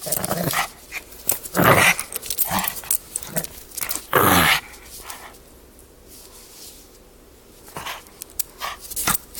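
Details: Playful young pug tugging on his toy. Short, irregular growls and huffs come in scattered bursts, loudest in the first half, then fade to a few quieter rumbles.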